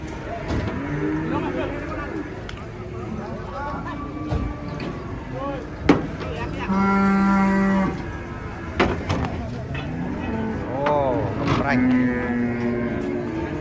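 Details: Giant female cow in a rage while being loaded under a tree said to be haunted, letting out a loud sustained moo lasting over a second, then a shorter rising bellow, amid bangs, knocks and talking.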